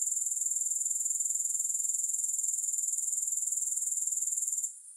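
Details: Grasshopper song, high, thin and buzzing, in a rapid, even throb of roughly four pulses a second. It cuts off abruptly just before the end, leaving near silence.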